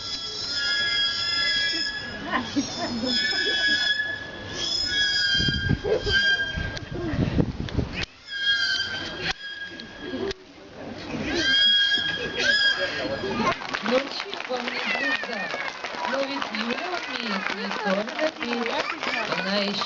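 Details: A trained beluga whale named Yulya performs a solo for an audience, giving long, steady, high whistles with bright overtones, followed by a noisy crowd and music.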